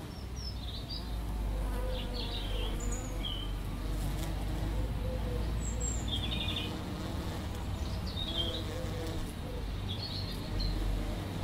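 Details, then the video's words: Two bees visiting a lavender bush: a steady, low droning buzz holds throughout, with short high bird chirps scattered above it. "bees on lavender bush"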